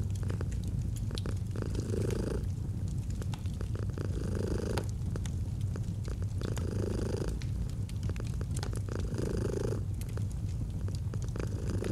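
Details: Domestic cat purring by a crackling fireplace, a constant deep rumble that swells in breathy surges roughly every two and a half seconds, with frequent pops from the fire.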